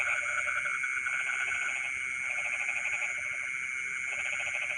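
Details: Frogs singing at night in rice fields: three or four grouped runs of quick rattling pulsed croaks separated by brief pauses, set against a steady shrill background drone.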